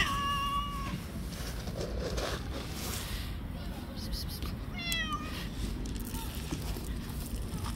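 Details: Stray street cat that attacks and fights with other cats: two harmonic meows, a sustained steady one at the start and a shorter, falling one about five seconds in, over a constant low outdoor rumble.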